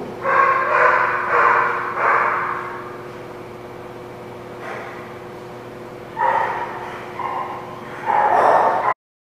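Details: Dog recorded at The Barking Lot on 14 October 2017. Loud, harsh barks in rough clusters, three early bursts then a pause before more barking near the end, over a steady low electrical hum.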